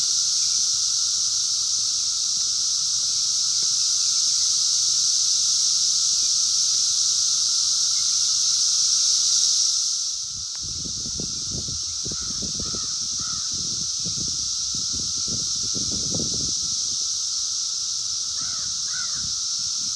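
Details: A dense 17-year Brood X periodical cicada chorus in the wild in 2021, recorded on a phone, makes a continuous, even mid-pitched drone under a bright hissing buzz. Low rustling and thumping break in halfway through.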